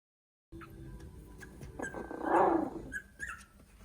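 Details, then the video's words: Three-week-old Italian Greyhound puppies give soft whimpers and thin squeaky yips, with one fuller whine near the middle. "Cute puppies making funny noises Italian Greyhound (3 weeks old)"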